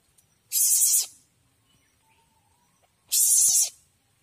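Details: A young Asian palm civet (Paradoxurus hermaphroditus) that came into a home gives two harsh, hissing screeches, each about half a second long.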